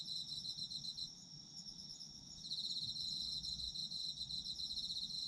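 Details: Autumn insects singing for a sleep ASMR recording: steady high-pitched ringing at first, then a louder, rapidly pulsed trill joins at about two and a half seconds and continues to the end.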